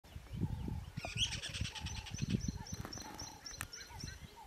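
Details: A squirrel in Kruger National Park, South Africa, on the way to Pafuri in early September 2023, gives a rapid, rattling alarm chatter of short clicks and sharp chirps.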